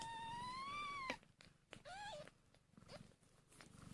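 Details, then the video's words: Hungry newborn kittens, one hour old: a long, loud, gently rising then falling mew opens, followed by a shorter bent mew and a faint brief squeak, with clicks and soft low purring between them. "So Tiny and Hungry Kittens | Making Cute sounds"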